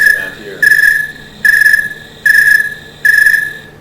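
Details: Snowy tree cricket (Oecanthus fultoni) singing in a meadow, steady evenly spaced chirps of pure, mellow trilled tone about one a second; these crickets synchronize their rhythm with one another.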